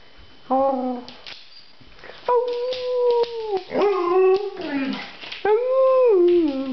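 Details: Vocal pet dog pleading for a walk, recorded around summer: long, steady, howl-like whines, some held level and others sliding downward at the end, four bouts separated by brief gaps.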